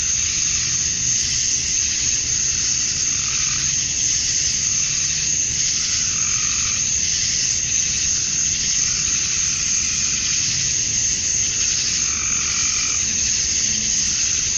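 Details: At dusk on a summer night in Georgia, USA, a chorus of male cicadas calling for mates holds a steady, sizzling high drone, and gentle lower buzzy swells drift in and out.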